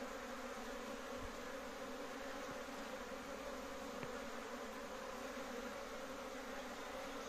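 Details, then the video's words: Honey bee colony kept at home in Kashmir, a big colony humming steadily: a dense, even drone with bands around the low-middle pitches, unbroken throughout, with a couple of faint low thumps. "HONEY BEES#Big colony"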